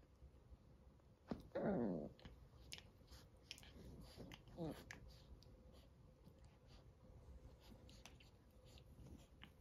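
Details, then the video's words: Fourteen-week-old Chihuahua puppies play-fighting indoors: one loud, sharply falling whiny yelp near the start, a shorter fainter one a few seconds later, amid soft scuffling, clicks and small-room background hum. "14 week old chihuahua puppies: never stop fighting"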